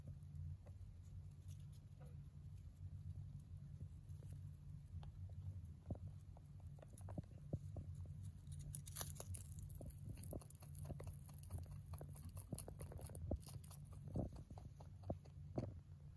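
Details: Hay being eaten by a male mini rabbit born in November 2020; irregular crisp crunching and snapping clicks, busier in the second half, with faint rustling and a low steady hum underneath.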